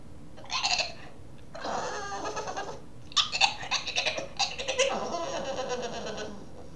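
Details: A Boston terrier puppy makes raspy, squeaky, gremlin-like grumbles in short bursts when it wants to play.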